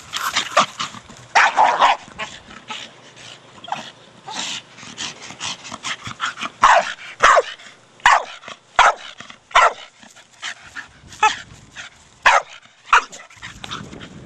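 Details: A male Staffordshire Bull Terrier, four years old, barks excitedly while playing with his hard plastic ball; a busy run of sharp barks at the start gives way to single loud barks about every second, with scuffling between them.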